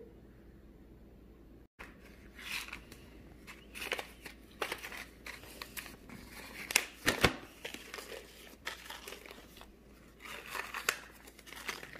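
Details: Crinkling, tearing and rustling sounds in a small indoor room, with no animal voice.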